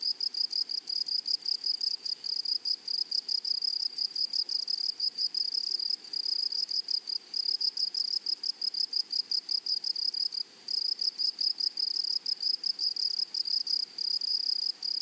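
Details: Grasshoppers singing in a flowery meadow: a dense, high, ringing stridulation in rapid pulse trains, steady and unbroken across the whole stretch, with a thin overtone far above and no other clear sounds.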